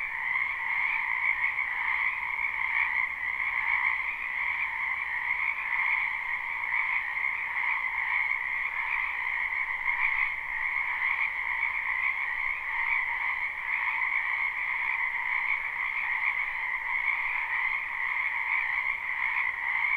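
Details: Many frogs croaking in a spring wetland, a live unlooped recording: steady overlapping trills form a constant high buzzing wall of sound with a fainter lower band, holding even for the whole stretch.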